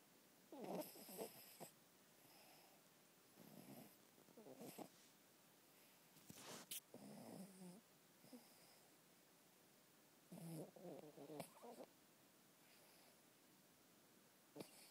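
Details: Miniature Pinscher indoors, sleeping, snoring and dreaming; irregular breathy snorts and rumbling snores in short bursts, spaced roughly one to three seconds apart, with a couple of sharp clicks and otherwise quiet surroundings.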